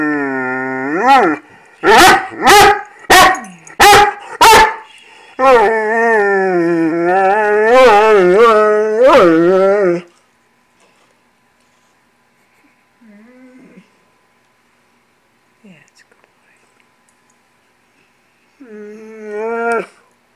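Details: Foster Great Dane 'talking' because he wants breakfast: a rising moan, five rapid sharp yelps, then about five seconds of steady warbling moans. Near-silence follows with a few faint grunts, then one last rising moan.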